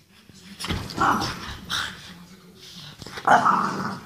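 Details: French Bulldog acting wild and playful, making a few rough, throaty grunting growls in short bursts, with a quiet gap between the noisy outbursts.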